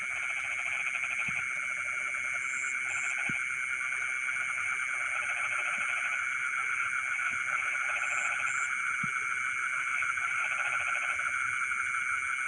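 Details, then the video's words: Frogs singing in rice fields late at night: soft pulsed croaking bouts come and go beneath a loud continuous insect whine, with a few high double chirps and occasional faint clicks. "the sound of frogs singing in the rice fields in the middle of the night"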